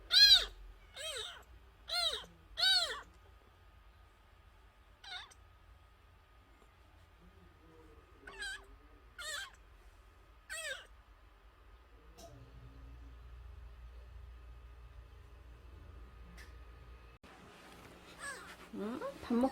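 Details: Kitten less than a month old, still nursing, found crying by the front gate and brought inside: loud, shrill meows in a rapid run of four, then scattered single cries amid quiet, with a muffled thud and scraping near the end.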